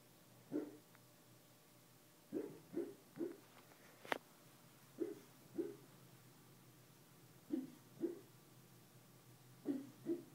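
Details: Bulldog named Mr Bojangles barking while dreaming in his sleep indoors: soft, muffled woofs in pairs and short bursts, spaced irregularly over about ten seconds, with one sharp click near the middle and a quiet room behind.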